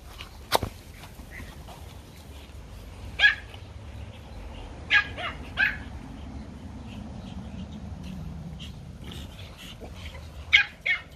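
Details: Toy Pomeranian puppies at play in a garden let out isolated shrill yaps, single and paired, spaced several seconds apart over a steady low background hum.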